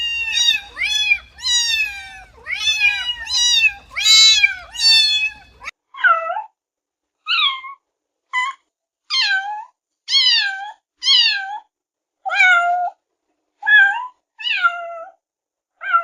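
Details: Kittens at play give a run of high, thin meows, rising then falling, repeated every second or so.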